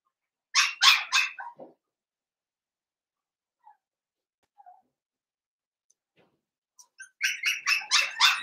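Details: Young Blenheim Cavalier puppies, part of a New Year's litter of five, indoors in a home puppy pen. A quick burst of four high yelps, then near silence, then another rapid run of shrill yaps starts up.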